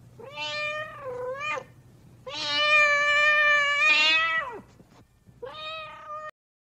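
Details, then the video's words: Loud cat meows in sequence: a wavering cry, then a long strained two-second wail that drops sharply at its close, followed by a shorter steady meow, with near silence between calls. "Animal sounds#cats"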